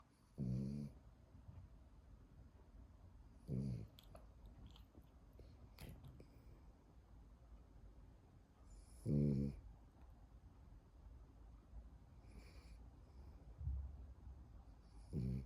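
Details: A French bulldog snoring: deep, rattling snore bursts about half a second long, spaced unevenly at roughly three to six second intervals, with quiet breathing and faint rustles between them.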